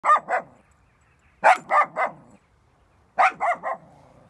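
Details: Dog reacting on first sight of a cow, giving loud, sharp barks in three quick bursts of two or three barks each, about one and a half seconds apart, with quiet between bursts.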